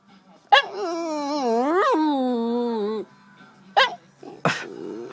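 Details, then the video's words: Lupe Fiasco, a dog who hates being called Pooder, answers with a long wavering howl-like whine rising and falling over about two seconds, then short yelps; a person's voice is heard around it. "Lupe Fiasco (the dog) hates being called Pooder!"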